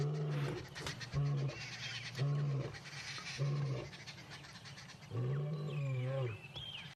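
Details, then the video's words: Adult male lion at Djuma Dam at 5 a.m., well fed from a buffalo kill, giving a territorial roar that may help locate his pride. Deep, short grunts repeat roughly once a second in a steady series, with birds whistling behind. "It's always nice to be spoken to by a lion at 5 o'clock in the morning."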